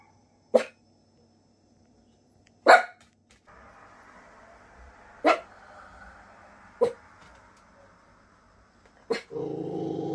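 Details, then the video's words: A nervous Miniature Pinscher indoors, hearing a big dog barking outside the house, gives sharp, spaced barks with a low rumbling growl between them. "Miniature Pinscher Dog growling because of Dog's barking outside 😄"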